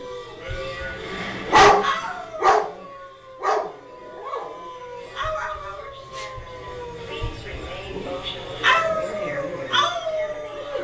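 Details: An excited blue merle Great Dane at home howls along during play with family members. Drawn-out, falling wavering tones overlap with people's voices, laughter and faint background music.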